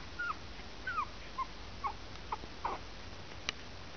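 Cairn Terrier puppies give short, high whimpers and squeaks, some falling in pitch, spaced about half a second apart.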